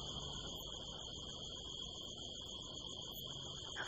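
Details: Crickets on the night of September 25, 2018, in California desert hills under a harvest moon, heard from a rooftop: an unbroken high, steady trill dominating the scene, with a soft low hum beneath.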